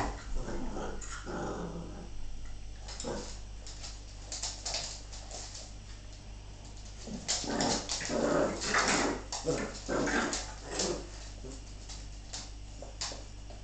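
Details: Bull Terrier bitch play fighting with her pups, giving low rough growls and scuffling noises in uneven bursts, with louder snarling flurries in the second half.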